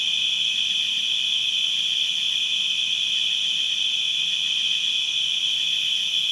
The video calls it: Crickets distant and constant chirping sound effects